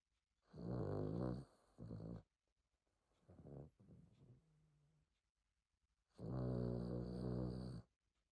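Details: Pet dog snoring loudly indoors, enough to wake its owner: two long, low rumbling snore bursts about a second and a half each, separated by softer shorter snorts and quiet breathing.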